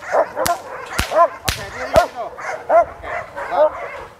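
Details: Sport dog barking fiercely during a session at Vom Almere Dog Training Centre in Indonesia, facing a handler acting as decoy; harsh barks repeat roughly every half second, mixed with sharp loud snapping cracks.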